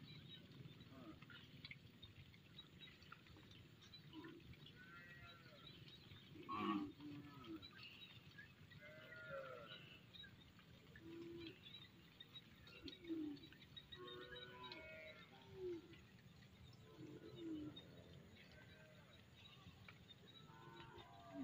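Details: A large cattle herd returns home past the edges of fields in a village. Several short, low moos from different animals come at scattered moments, some rising slightly, over a steady rural background hum and faint shuffling.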